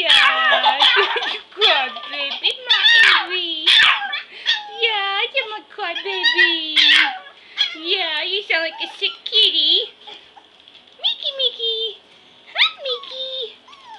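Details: Five playing Pomeranian puppies clamber over a person lying on an indoor floor. A steady chorus of high yelps, whines and squeaks goes on, with quieter gaps near the end.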